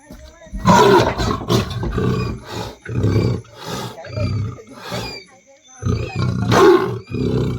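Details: Wild leopard caught in a cage trap at midnight in Champawadi village, Vyara taluka, giving loud, rasping, roar-like bursts in regular pulses about every half second, with short pauses; people talking nearby.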